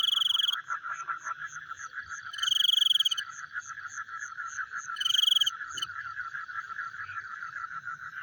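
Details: Night frog chorus, mostly a rapid, even pulsing with a faint, soft repeated chirp above it, interrupted by three short, loud, buzzy trills.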